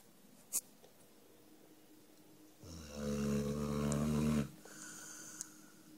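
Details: Number Five, a sleeping dog, snoring indoors: one long, deep rumbling snore of about two seconds with layered low droning tones. A faint click comes before it, against quiet room hush.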